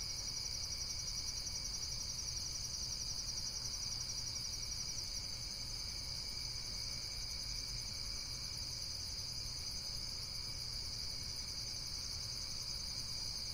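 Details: Continuous insect chorus in nature, a dense, piercing high trill that pulses rapidly and never pauses, layered over a faint, steady low hum.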